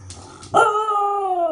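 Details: Pembroke Welsh Corgi named Zoë howling like a wolf as a trick: after a short yip, a clear sustained howl with strong harmonics, holding steady then sliding gently downward over about a second.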